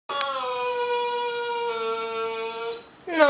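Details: Whisky, a pet dog indoors, crying as it does every morning to ask its owner not to leave for work: one long, steady, slightly falling drawn-out whine lasting nearly three seconds, then a second rising cry begins.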